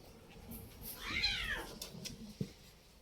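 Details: Pet cat in a room giving one arched meow that rises then falls, followed by a soft tap.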